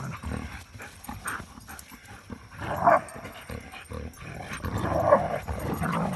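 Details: Three young dogs tussling and playing outdoors after three days of rain, with two short yelping barks near three and five seconds over scuffling, panting and rustling noise.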